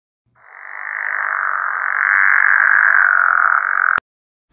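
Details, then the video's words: Pickerel frog from Western North Carolina giving one steady, snoring, buzzy croak of about three and a half seconds that swells in loudness and then stops abruptly. "also found some pickerel frogs which sound like this"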